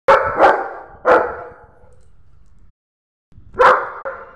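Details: A German Shepherd guard dog barks loudly and deeply in quick pairs at a stranger, warning them off.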